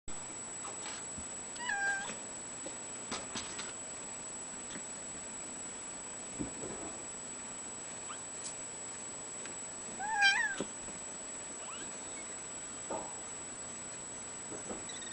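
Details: Four-week-old Ragdoll kittens born 29 August 2011, including a seal point male, with their seal point mitted mother, give a few thin, high mews spaced seconds apart in a quiet room.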